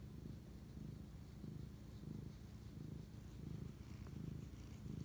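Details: Domestic cat purring while bonding at night, 11:07 pm, 25 March 2019; deep, even rumble rising and falling about one and a half times per second, close and continuous.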